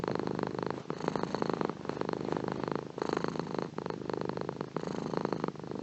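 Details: Purring cat, close and steady: a deep buzzing rumble that swells and eases with each breath, roughly one breath cycle every second or so, nothing else audible.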